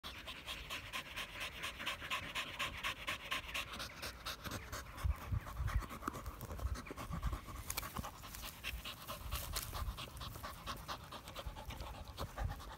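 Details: A blue Staffordshire bull terrier pants in fast, even breaths, each a short breathy huff repeated several times a second, running unbroken throughout over a faint background hiss.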